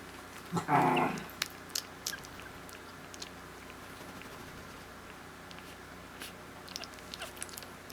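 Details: Newborn female Havanese puppy, born on Valentine's Day, gives one short, high squealing cry near the start, then only faint clicks, soft shuffling and a steady low hum indoors.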